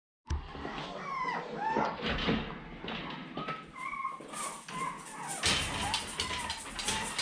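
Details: Seven-week-old puppies of a dog named Fancy, recorded indoors on 18 October 2020 while their pen was being changed out, whining in short high tonal whimpers, some rising and falling, over clattering, banging household noises.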